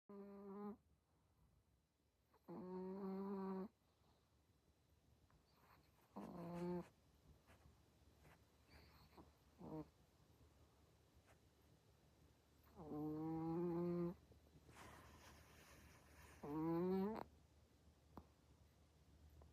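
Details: Sleeping puppy snoring: tonal, harmonic snore bursts under a second to about a second long, returning every three to four seconds with quiet breathing pauses between, in a still room.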